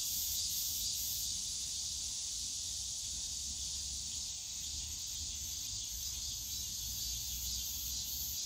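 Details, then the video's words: Cicadas droning in the Yongsan Family Park bamboo forest in summer, a slightly quieter steady high buzz with a faint pulsing shimmer on top, layered over low background noise. "용산가족공원 대나무숲 매미소리"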